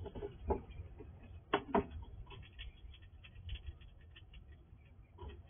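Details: Wild squirrel visiting a house at night, quickly eating all the food from a sliding drawer; faint crunching and scratchy clicks come in scattered bursts, with a louder pair of snaps near the middle over a low background hum.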